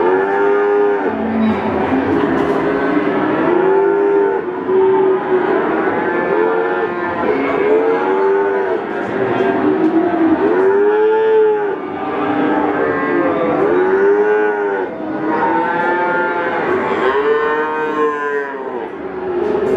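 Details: Peranakan Ongole bulls at Pasar Pon livestock market in Ambarawa, Central Java, lowing repeatedly in long rising-and-falling moos, several animals overlapping over a constant market din.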